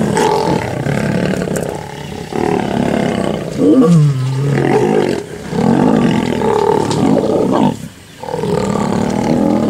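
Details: Ximhungwe pride lions and the Mapogo male in the Sabi Sand attacking a sub-adult cub they do not recognise: heavy, rasping roars and snarls in long bursts, one sweeping moan dropping in pitch mid-scuffle, with short pauses between.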